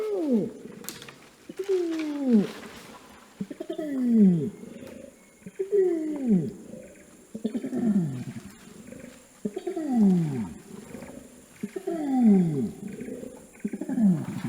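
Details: Wild orangutan long call, used to communicate across dense jungle: a series of deep, booming calls, each sliding steeply downward, repeated about every two seconds in a steady, rolling sequence.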